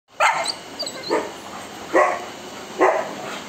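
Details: Saint Bernard barking: four loud, short, gruff barks spaced roughly a second apart over a steady background hiss.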